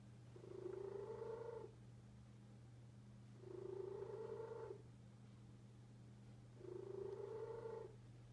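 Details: A deaf pet cat purring loudly indoors: rough, rumbling bursts of about a second, rising slightly, come roughly every three seconds with breaths, over a steady low electrical hum.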